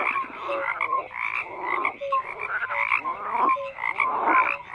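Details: Several frogs croak in a steady chorus, rasping bursts roughly once a second interleaved with short clear tonal notes, all continuous and dense.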